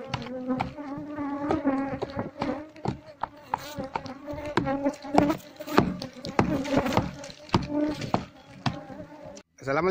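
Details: Wild Asian honey bee colony, nesting under a septic tank, disturbed while being moved into a hive box: a steady low hum with a clear overtone, broken by frequent sharp knocks and scraping from the work.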